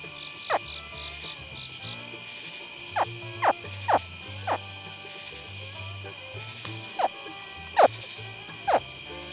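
A baby American alligator gives short, sharp chirping grunts at uneven intervals over a steady insect-like hum.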